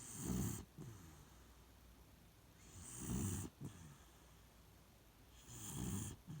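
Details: Shiloh, a Beagle, snoring while asleep in its usual spot: low rumbling snores roughly every three seconds, each breath with a breathy hiss, the pauses between them quiet.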